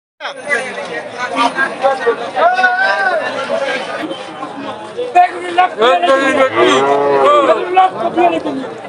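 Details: Cattle at the crowded Tulatuli livestock market on a Sunday, the last market day, 16 June 2024, with many cattle and goats for sale; two long, smoothly arching moos rise and fall over steady human chatter and crowd noise.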